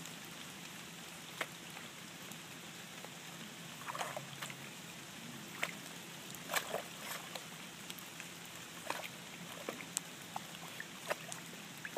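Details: Quiet trickling water with scattered small splashes and drips over a soft background hiss.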